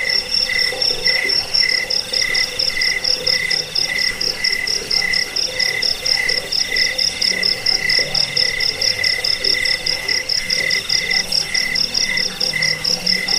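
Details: Sustained cricket song, played to keep rats away, help with sleep and tutor birds; sharp high chirps pulse evenly and without pause, backed by a quieter lower-pitched pulsing chorus.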